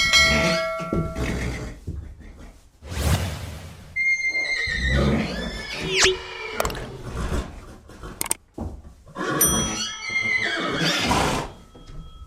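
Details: Repeated horse neighs, high and tremulous, mixed with snorts, a swooping squeal, a few knocks and short steady tones, the whinnies returning strongly toward the end.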